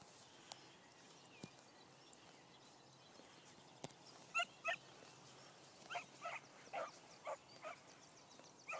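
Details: Beagle puppy named Cookie hunting a deer she had just chased off, giving a series of distant yelping bay calls, about eight bursts spaced under a second apart in the second half, over a quiet background with a few faint clicks.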